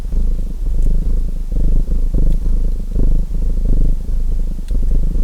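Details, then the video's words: Steady rumbling purr of a domestic cat over a cozy fireplace background, the low buzz pulsing in uneven breath-length surges with a few thin crackling clicks from the flames. "Relaxing Fireplace & Purring Cat Sounds | Feu de Cheminée et Ronronnements"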